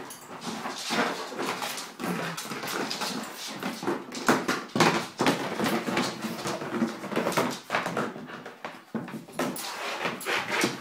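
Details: Playful bull terrier Monty tussles with his basket in his 'funny hour', making rapid, uneven whines and huffing grunts amid constant rustling, scraping and thudding indoors.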